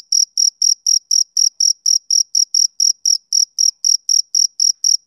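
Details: Male cricket chirping on a summer evening: a high, shrill trill pulsed about four times a second, some twenty even chirps in steady rhythm, with no other sounds.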